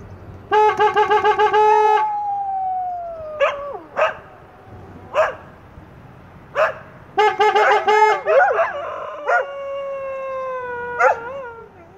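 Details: Group howling from English Setters: a steady, flat harmonic tone opens, then sliding howls that dip and bend, with scattered short yelps in between and overlapping voices wavering together near the end.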